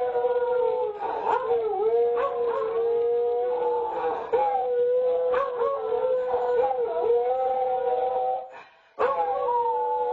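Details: Duet of two beagles filmed on a home nest camera: steady drawn-out howls from one dog layered with a higher, bending second voice, punctuated by sharp yips and a brief pause near the end.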